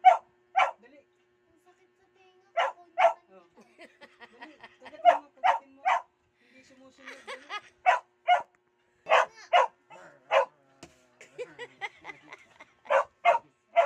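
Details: Aspin dog giving short, sharp barks, mostly in pairs, spread irregularly over the stretch, with quieter whines and soft human speech between them.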